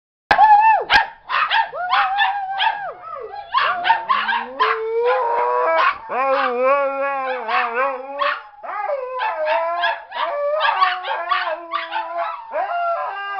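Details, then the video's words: Siberian Husky howling along with two other dogs in a group; long wavering howls sliding up and down in pitch, overlapping voices with short yips and barks mixed in, continuous throughout. "the Singing Siberian Husky"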